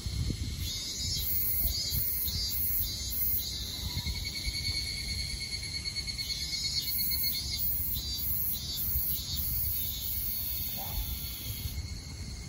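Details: Evening cicadas (Tanna japonensis) chorus in the evening in the Kanto region of Japan on July 29, 2021, their high, ringing, pulsed calls overlapping in waves.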